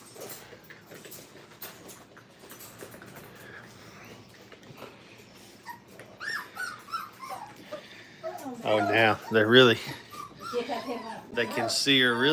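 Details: Five-week-old Brittany puppies playing at a training kennel, faint rustling and scattered clicks at first, then a burst of loud, wavering high whines and yelps crowding together over the last few seconds.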